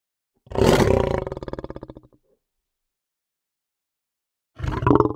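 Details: Lion roaring: a long, rasping roar of about one and a half seconds that pulses rapidly and fades, then silence, followed by the start of another loud roar.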